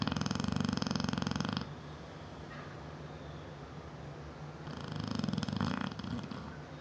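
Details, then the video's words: Seven-year-old female Neapolitan Mastiff asleep indoors, snoring loudly; a rough rattling snore lasting over a second, a quiet pause of about three seconds with a faint breath, then another rattling snore. "NEAPOLITAN MASTIFF SNORING"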